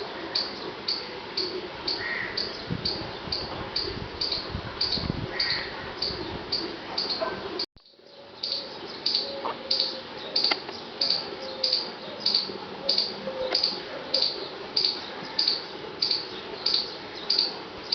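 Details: Squirrel. Thin, high-pitched squeaks from a squirrel repeat in a steady, insistent rhythm, a few every second, serving as a warning call. The series breaks briefly partway through, then resumes unchanged.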